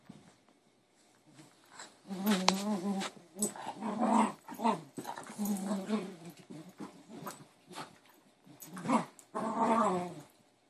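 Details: Spaniel at play with a piece of cardboard, tossing it and jumping to catch it; a run of short, throaty growls and grumbles, some rising into whiny tones, in uneven bursts across ten seconds with rustling between.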